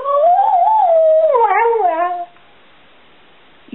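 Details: Stewart Little, nicknamed Bubba, a 7-year-old Border Collie mix, 'talks' when asked if he loves his family: a long wavering howl that rises, dips and bends, harmonic-rich, lasting about two seconds, then silence.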